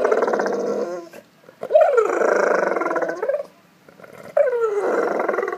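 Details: A Golden Retriever at a pool whines and groans in long, wavering, bending tones, wanting its ball.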